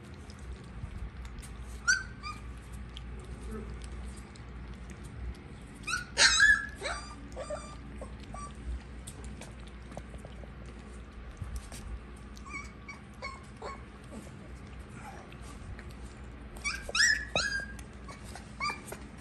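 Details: Siberian Husky puppies eating, giving scattered high squeaky whimpers and short yelps in bursts near the start, middle and end, separated by quieter stretches over a steady low background rumble.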